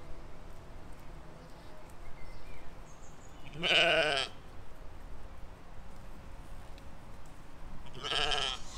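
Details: Sheep and lambs grazing in a spring field, 2020; two loud quavering bleats, one near the fourth second and another near the end, bright and harmonic-rich, with a quiet low background and faint bird notes.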